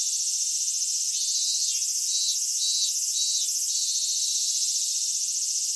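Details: Summer cicada chorus in Kitakami, Japan, at Michinoku Folk Village and Kitakami Tenshochi: a steady high-pitched drone, joined midway by rhythmic pulsed phrases that beat roughly twice a second, then settle back.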